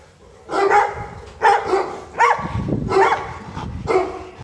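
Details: Female Bullmastiff barking: five deep, harmonic barks spaced roughly a second apart, each with a short rough onset, against a quiet indoor background.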